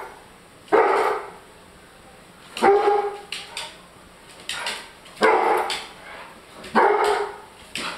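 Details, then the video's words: A German Shorthaired Pointer barks at his food because it is too hot, giving loud, sharp barks about two seconds apart while a person speaks nearby and offers to blow on it. "German Shorthaired Pointer Barks at Hot Food"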